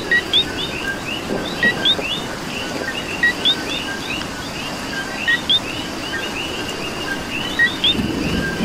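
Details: Rainy night chorus of coquí frogs in Puerto Rico: close calls ring out regularly as a short note followed by a higher upward whistle, layered over countless distant frogs, with steady rain and a faint low rumble.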